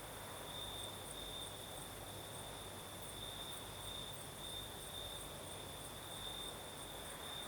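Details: Crickets singing on a southern night in Crimea: a steady high trill with a faint pulsing shimmer, plus a fainter higher hiss above it, over a soft broadband wash of night breeze.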